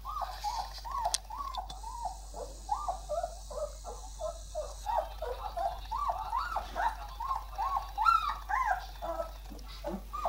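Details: Chorus of Irish Wolfhounds producing quick, repeated nasal whines and yelps, arching up and down, about two per second and overlapping, over a constant low electrical hum and brief clicks.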